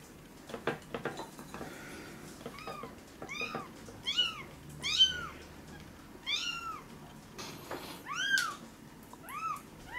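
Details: Maya, a male red-and-white tabby kitten rescued as a former stray at about one day old, recorded indoors while between two and seven weeks old. About eight high, arched mews, each rising then falling, with handling clicks and rustles between them.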